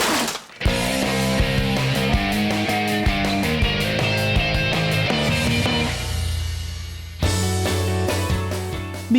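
Dense music with a steady bass beat and percussive hits plays throughout, with no animal sound.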